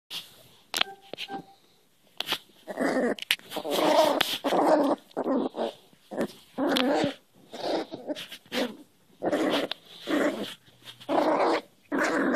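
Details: Cairn Terrier puppy, newly adopted, growling ferociously while hand wrestling in play; rough, noisy growl bursts about a second long, repeated irregularly with short pauses, a few brief higher whines between them.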